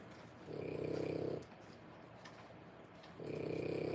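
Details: Sleeping sounds of French Bulldog puppies aged three weeks, born 1/10/25, in a whelping box: a long raspy rumble, a pause of about two seconds, then another snore beginning, with a faint steady tone in the room.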